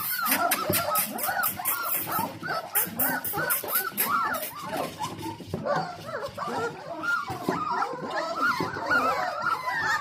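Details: Four-week-old Dalmatian puppies, a whole litter, whimper and yip while waiting for their dinner, a busy chorus of short, bending high whines repeated rapidly over bursts of ticking noise.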